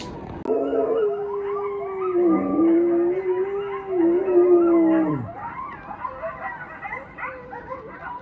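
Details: Eleven-month-old wolfdog puppy, kept with a husky at home, reacting to coyotes howling on TV: a long, loud, steady howl that sags at the end, then a second drawn-out howl, followed by fainter wavering yips and whines.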